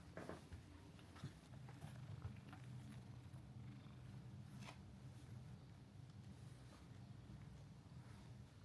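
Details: Mika-chan, the friendly female resident cat of Minshuku Nozaki, a seaside hot-spring inn in Ito Onsen, Shizuoka, Japan, purrs in a steady low rumble that continues unbroken, with soft rustles and brief clicks over a quiet indoor room.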